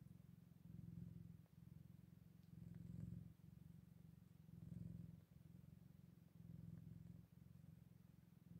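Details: Scottish Fold cats with their eight-day-old kittens: a low, steady purring rumble swelling and easing in regular waves about every two seconds, with no other sounds.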